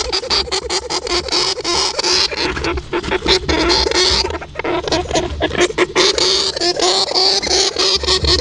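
A hamster gives high, thin squeaks amid dense rustling and scratching.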